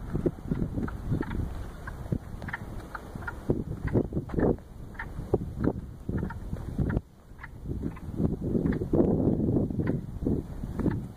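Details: Wood frogs chorus in a small swampy wetland, a jumble of short, hoarse, duck-like clacks from many frogs at once; the shy frogs stopped singing when they saw a person.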